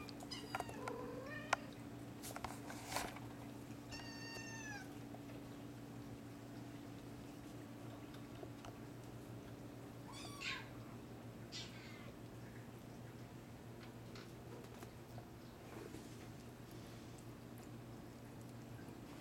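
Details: Litter of hairless Sphynx and Bambino kittens at a cattery, some awake; repeated high-pitched mews, several rising then falling, clustered early and around the middle, over a constant low hum and light handling noise.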